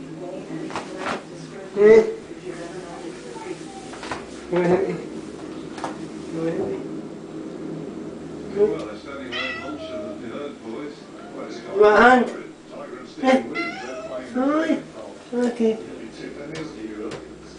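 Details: A Siamese cat in a bath gives loud, drawn-out meows, some rising and wavering, with a person talking nearby.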